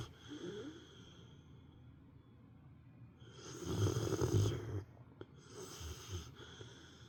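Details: Pet dog, a female, napping and snoring like an old man, quiet breathing building to one loud gravelly snore near four seconds, then a softer snort after.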